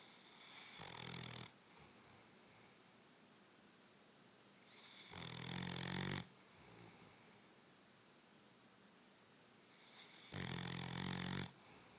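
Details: Bloodhound snoring indoors: three long, rumbling snores with a low buzzy drone, each lasting about a second, spaced roughly every four to five seconds, with quiet breathing between.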